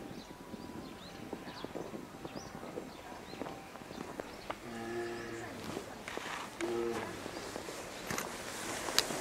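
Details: Lila, a two-year-old female polar bear, pleads with her mother Lara to nurse at Maruyama Zoo, Sapporo, on 19 January 2017. Two moaning harmonic cries stand out about two seconds apart over clattering and rustling noise.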